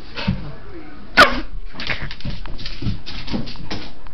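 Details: Pet dog indoors freaking out at noises made through a tube, giving short rough bursts of sound in a small room with people talking and a sharp sneeze-like burst midway.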